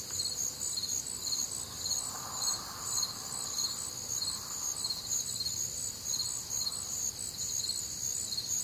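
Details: Chorus of crickets on a humid, warm summer night in the Midwest: shrill, rapidly pulsing chirps in layered high bands without pause, plus a soft, brief mid-pitched murmur rising and fading in the background.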